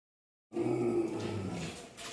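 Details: An angry dog gives a single deep, harsh, drawn-out bark-growl after a brief silence.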